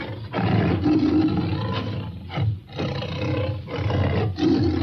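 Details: Tiger growling and roaring continuously, a deep rough rumble rising and falling in several swells with brief dips between them.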